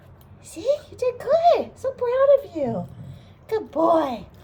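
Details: A male wire-haired dachshund, a rescue just out of a shelter, grumbles in a run of moaning, rising-and-falling vocal arcs while being given a lavender bath; his grumbles are all just talk.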